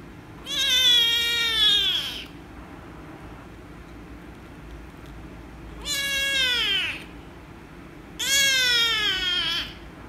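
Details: Loud meows from an angry rescue kitten reacting to petting: three long, harmonic cries spaced several seconds apart, each starting high and sagging downward, the first lasting over a second, with a quiet room between calls.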